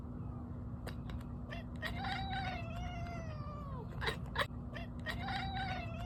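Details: Domestic cat calling while watching a squirrel: wavering, drawn-out whining calls with harmonics, falling at the end, broken by short clicking chatters, over a steady low hum.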